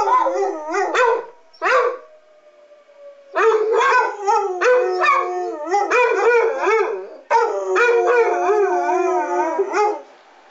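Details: During the monthly city siren test, Basset Hounds Walter and Freckles howl along: wavering, rising and falling howls mixed with short bark-like bursts, separated by a quiet gap near the start.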